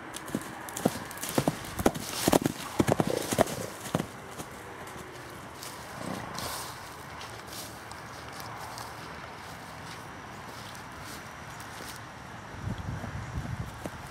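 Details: Percheron cross horse in a paddock, recorded on July 20, 2013. Irregular, sharp hoof thuds cluster in the first four seconds, followed by a quieter stretch of soft outdoor background and a few faint low rumbles near the end.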